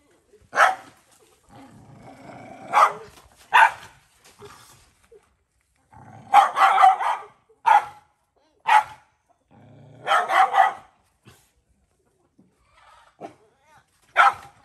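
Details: Cambodian farm stray, a mother dog defending her puppy at feeding and trying to bite the boy offering food: low growls run under bursts of loud snapping barks, often doubled or tripled, with short silences between.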